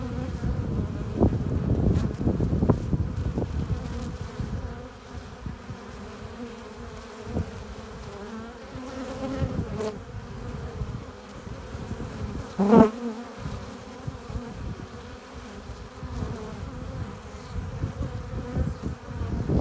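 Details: Hive entrance of honey bees bringing in pollen and nectar, a continuous low hum of many wings with a sharp close fly-by whine at about twelve seconds and some crackling bursts early on.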